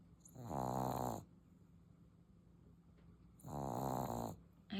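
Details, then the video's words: English Bulldog puppy asleep indoors, snoring loudly: two long, rasping, rattling snore breaths about three seconds apart, with near silence between them. "His snoring loud"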